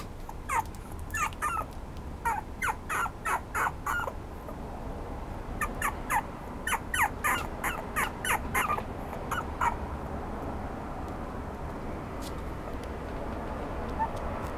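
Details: Red Toy Poodle, filmed 141112, gives bursts of short, high whimpering yips at about three per second, in two runs separated by a brief pause, then falls quiet over a steady low indoor hum.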